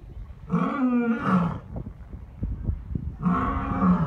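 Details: Captive lions at Taigan lion park in Crimea, a group of four including a mother lioness wintering together, calling in a roll-call; two long, deep, harmonic roaring moans about a second each, separated by soft grunts and breathy pulses.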